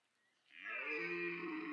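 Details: Red deer stag at Parc Sainte-Croix wildlife park during the autumn rut, amid pursuit, mating and fighting between stags; a single harsh, drawn-out bellow swells in after a quiet start and holds steady, rich in layered overtones.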